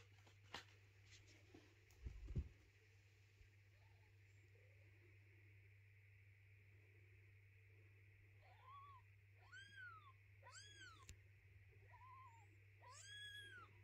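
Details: Mother cat moving her kittens indoors and not letting their little house be cleaned; after quiet room hum, high, arched mews rise and fall in a short run of four or five calls toward the end.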